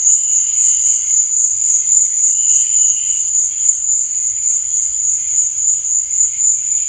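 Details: Crickets at night produce a steady, very high, ringing trill without pause, accompanied by faint fluttering lower buzzes that come and go.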